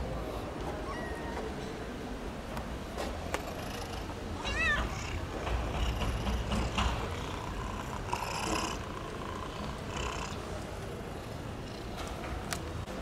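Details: Berlin, a stray cat in Istanbul, waits for breakfast among other cats, giving one short wavering meow midway through, with a few faint mews around it over steady street and traffic rumble.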